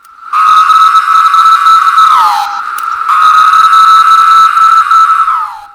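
A 17-year cicada gives two long, steady, screaming buzzes, each sliding downward at the end.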